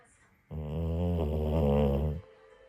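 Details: Sleeping Pit Bull snoring on New Year's Day morning: one long, low, rumbling snore about one and a half seconds long, steady and evenly layered, starting and stopping abruptly, in a quiet indoor setting.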